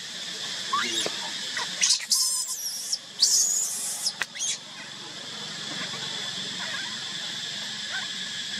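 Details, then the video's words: Baby monkey crying while left alone by its mother: a few shrill, quavering squeals cluster in the first half, then fade, over a steady high-pitched hiss of background noise. "Pity, cute baby monkey crying. why did Mommy Monkey keep baby crying alone"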